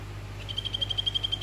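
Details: Male Phyllobates vittatus, orange variety, calling a female in a vivarium. A brief burst of about ten rapid high pulses forms a short trill, with a steady low hum behind it.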